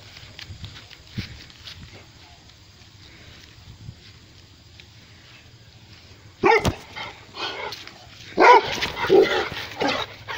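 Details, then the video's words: Rhodesian Ridgebacks, four dogs arriving while trotting and running outdoors, with a quiet stretch of faint rustling and then a sharp loud bark around the middle, followed by a cluster of several rough barks close together near the end. "Rhodesian ridgeback trotting, running, and barking"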